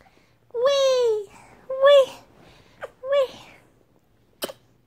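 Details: Domestic cat called Tiger, a male, making funny noises indoors after being teased a little. Three drawn-out, clear meows: the first long and gently falling, the next two shorter. A sharp click follows in a quiet room.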